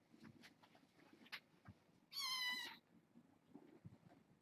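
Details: Bedtime with a litter of six foster kittens born August 29th: a single bright, wavering kitten meow of under a second stands out over faint rustles and taps indoors.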